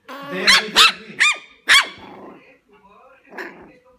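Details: Puppy letting out four bright, rapid barks within about a second and a half, then softer trailing yelps and a muffled background murmur.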